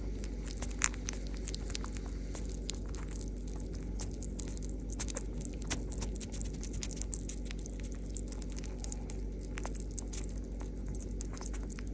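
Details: Soft crackling, tapping and rustling in a small indoor room over a low steady hum, with no animal calls.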